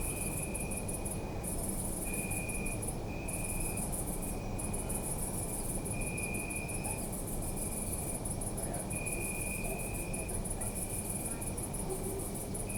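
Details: Crickets chirp through the night in an urban park, their high buzzing trill nearly constant with short breaks, joined by evenly pulsed tonal chirps, all over a deep background rumble.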